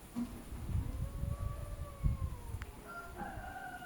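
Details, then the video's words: [1, 'likely', 'yowl', 'Cats arguing with each other: long, drawn-out tonal yowls that slowly rise and fall, with low rumbling background noise throughout.'] "Cats Talking to each Other : Funny cat sounds when arguing"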